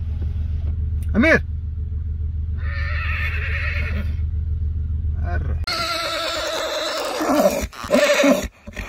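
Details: Arabian horse gives a quick upswept squeal, then a longer quavering whinny, followed by loud broadband noise and a low engine-like rumble throughout.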